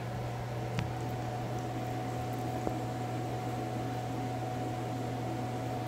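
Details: Constant mechanical hum and hiss fill a small indoor room, broken only by a couple of faint clicks.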